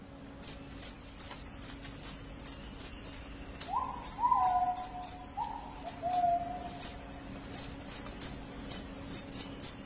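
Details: Loud cricket calling, claimed to chase off rats and lull people to sleep: clean, very high chirps repeated roughly every half second, with a faint sliding whistle in the background midway.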